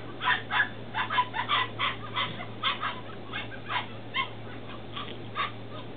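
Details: Ten-week-old Belgian Malinois puppies in Williston, Florida, recorded 28 April 2015, yipping in quick repeated bursts, several short high notes per second that taper off, with background hiss and a low hum.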